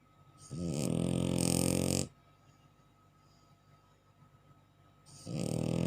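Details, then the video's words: A bulldog snores in its sleep, giving a long, rough, buzzing inhalation of about one and a half seconds. A quiet pause follows before the next raspy snore begins. "HOW THE BULLDOG SNORING"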